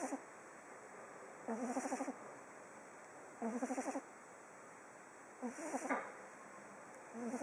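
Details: Pug called Oliver asleep on day 19, snoring steadily. Four fluttering, throaty snores about half a second long repeat every two seconds or so, with quiet pauses for breath between them.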